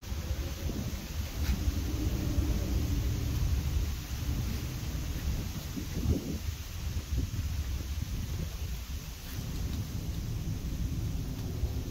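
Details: Heavy low wind rumble buffets the microphone during an outdoor walk, with no animal sound audible.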